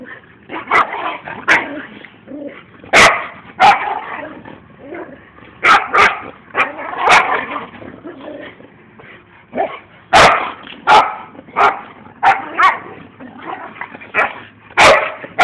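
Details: Pair of dogs play-boxing outside, sounding like a real fight but only playing; continuous growling and grumbling punctuated by short sharp barks and yips, some sharp clicks, irregular rhythm throughout.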